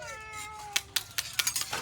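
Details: Domestic cat meowing: a drawn-out, slightly falling tonal meow lasting under a second, followed by a series of sharp clicks or knocks and a person talking.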